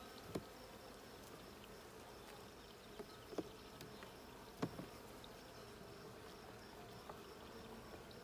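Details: Colony of honey bees heard while their hive is opened and checked, June 20, 2022: an even droning buzz that never stops, overlaid by sharp irregular taps and clicks from the beekeeper's work, roughly one every few seconds.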